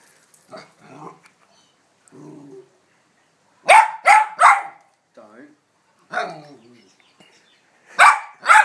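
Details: Hamish, an excited pet dog, barking when a ball is set on a small hill of sand: a quick run of three loud, sharp barks, then two more at the end, with quieter human talk in the pauses.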